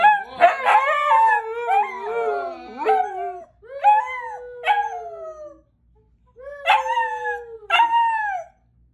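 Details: A young husky puppy learning to howl from an older dog gives wavering, drawn-out howls that slide downward, in several bouts with short pauses.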